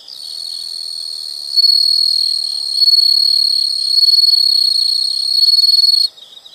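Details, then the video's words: Insects recorded as a nature sound: a high, steady buzzing trill that jumps louder after about one and a half seconds, holds, then cuts off abruptly, leaving softer pulsing. "the sound of insects"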